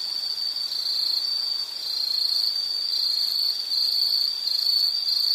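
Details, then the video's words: Insect chorus used as a calming nature background: a steady, high, shrill continuous trill with slight pulsing, sustained through the whole stretch, no other sounds. "Nature Sound of nature sounds scenery L · insect"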